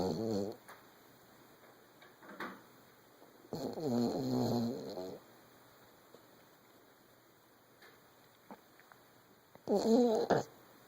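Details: Sleeping 14-month-old Vizsla snoring indoors: three short bursts of rough, groaning breaths separated by quiet stretches, with a steady faint background hum.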